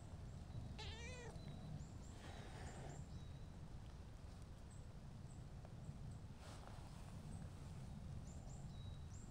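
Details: Stray cat, either a tortoiseshell or a brown tabby, the tortoiseshell affectionate and licking hands, the tabby shy around other cats. One short, bending meow near the start over steady low rumbling outdoor noise, with faint high bird chirps throughout.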